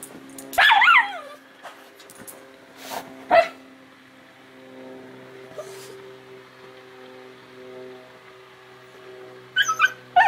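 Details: Two dogs on a patio, Basil a fox terrier and Ashton a female Schnauzer, with Ashton excited as her owner arrives home from work; sharp high yips burst near the start and again mid-clip, then a quick yipping flurry at the end over a steady low hum.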